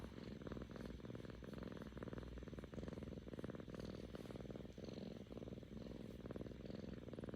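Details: A happy seven-month-old female Korean Shorthair cat purrs steadily, a low rumbling vibration pulsing with each breath in and out.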